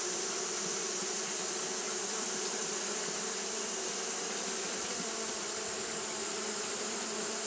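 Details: Japanese honey bees fanning continuously in hot weather produce a dense, even buzzing hum, faintly pulsing, with a bright steady hiss over it.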